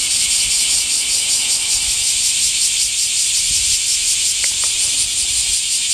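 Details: Cicadas singing in summer heat: a loud, unbroken, hissing buzz sits high in pitch, pulsing steadily at about three beats a second throughout, with a faint low rumble beneath.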